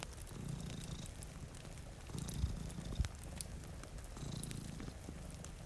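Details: Deep purring from two cats asleep in front of a rainy window, rumbling bursts with a pause between, a couple of sharp fire pops and soft rain behind.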